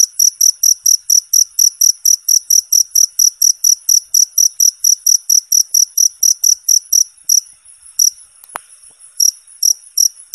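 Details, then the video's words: Cricket as tutoring material for contest songbirds: a fast, even series of shrill high chirps, then a short lull broken by a sharp click, after which a few more chirps return. "suara jangkrik bersih dan jernih"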